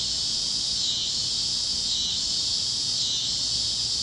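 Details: Cicadas chirping over the Kansas plains at sunset: an unbroken, high, hissing drone that dips gently in loudness roughly every second, with nothing else standing out.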